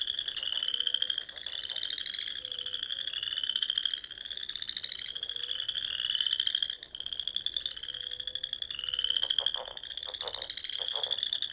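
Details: At dusk in the Nebraska Sandhills during spring, frogs fill the air with continuous high trills, each lasting a couple of seconds and overlapping, plus a few soft lower notes and a cluster of pulsed croaks near the end.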